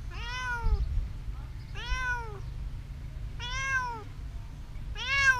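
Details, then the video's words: Four clear meows from a hidden cat, evenly spaced about every 1.7 seconds, each a rich harmonic call that rises slightly then falls, over a quiet low hum. "Hiding cat meowing"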